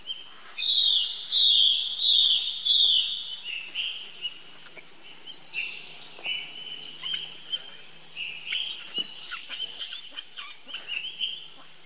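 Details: Infant monkey crying out for help to its brother Rainbow: an opening run of loud, high, wavering screams, then quieter drawn-out whines and clipped chirps, with faint outdoor background noise.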